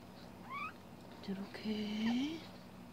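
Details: Newborn corgi pups, born 1 July 2017 after the mother's night of labour, as she licks them clean: thin squeaky whines, one short rising cry, then a longer wavering squeal climbing in pitch, over a soft hum.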